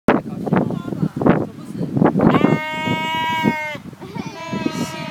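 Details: A sheep in New Zealand in December 2012 gives a wavering, quavering bleat after a few seconds of people talking nearby.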